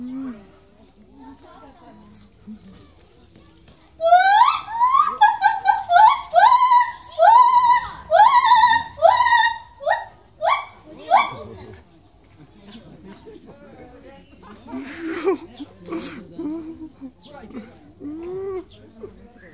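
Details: White-handed gibbon at Maruyama Zoo, 18 July 2016, calling wildly while swinging at high speed back and forth on bars, its voice echoing through the zoo; about eight loud, sharply upswept whooping notes in quick succession, then quieter human voices.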